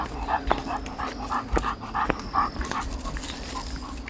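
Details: Panting pit bull on a walk outdoors: short, breathy huffs repeating rapidly and evenly, with a couple of sharp clicks or footstep taps and light background hiss.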